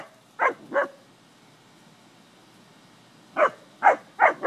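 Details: English springer spaniels playing with cattle give short, sharp barks: a quick pair, a pause of about two and a half seconds, then four more in fast succession, with no other clear sounds.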